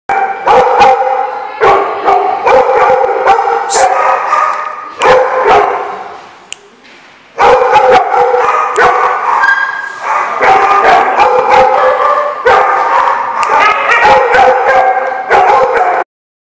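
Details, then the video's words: Dogs barking recorded on October 19, 2015: dense, rapid, overlapping barks in near-continuous loud bursts, with brief pauses around five and seven seconds, then the barking resumes until the end. "The Barking Lot"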